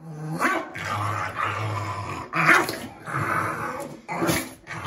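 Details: Winston, a Shih Tzu/Pekingese pet dog, growls while being given a bath he hates: low rumbling growls in two long stretches, then a sharper outburst near the end, with splashing and handling noise indoors.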